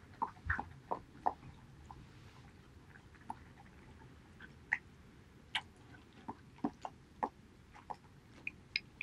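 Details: Eating pollack soup, male Border Collie Haedeun (2018-08-19) makes a quick cluster of slurping, crunchy bites at the start, then sparser sharp chewing clicks, indoors with low background hum.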